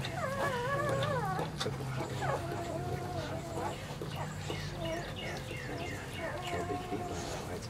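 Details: Newborn Weimaraner puppies: a wavering, up-and-down whine opens, then quick soft squeaks and chirps follow rapidly over a low background hum.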